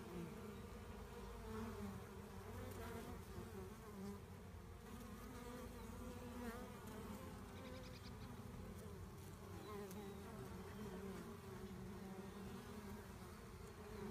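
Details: A swarm of honey bees during collection fills the air with a thick, unbroken drone. Many overlapping wingbeats form a low hum, with faint clicks and handling noises around the middle.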